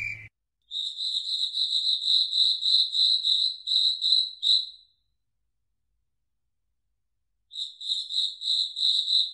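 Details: Crickets singing at night in a foggy forest; a high, pure chirping trill pulses about three times a second, stops for several seconds of silence, then resumes, with a brief click at the start.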